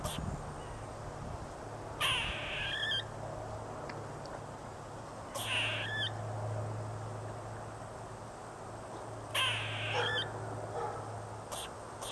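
A squirrel gives harsh, raspy bursts, each about a second long, repeated every few seconds.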